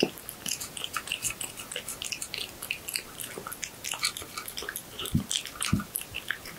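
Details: Pet cat chewing horse meat, recorded close in a quiet room: moist smacking and clicking bites in steady bursts, with two deeper thudding crunches near the end.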